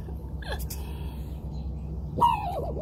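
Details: Raccoon barking at the person nearby, which seems to want to fight: a sudden harsh harmonic cry that falls and wavers for under a second, after an earlier short sliding note, over a low steady background hum.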